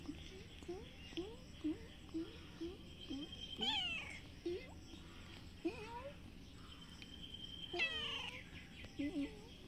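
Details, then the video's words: Brown cat and white kitten behind a house on green grass, said to be ready to fight: quiet, short rising mews repeated about every half second, broken by two longer wavering, harmonic yowls, with faint high chirps in the background. "Cats Rady to fight every secution"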